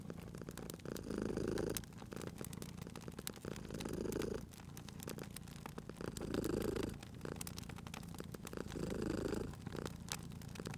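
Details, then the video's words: Domestic cat purring beside a crackling fireplace in a cozy spring setting: a low rumbling purr swells and fades in bursts roughly every two and a half seconds, with sharp pops and crackles of burning wood throughout. "Cute Purring Cat at a Crackling Fireplace"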